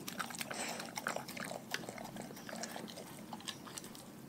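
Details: Raw-fed dog eating at close range: loud, crisp crunching and biting, rapid clustered cracks in the first two seconds, then softer repeated chewing and licking.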